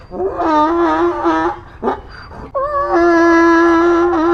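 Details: Braying donkey, close and loud: a quavering, nasal honk lasting about a second and a half, a rasping gasp, then a sustained, even bray held to the end.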